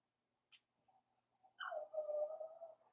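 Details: Indoor puppy pen holding a litter of five blenheim Cavalier King Charles Spaniel pups born over New Year: a soft squeak, then one drawn-out, wavering whine lasting over a second and trailing off.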